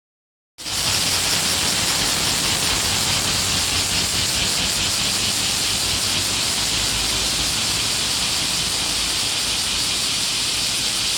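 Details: Cicadas calling outside a Hanamaru Udon near Warakō Museum in Hōei-chō, Kōchi City, Japan: a dense, high, hissing chorus that pulses steadily and rapidly without pause, with a faint low rumble beneath.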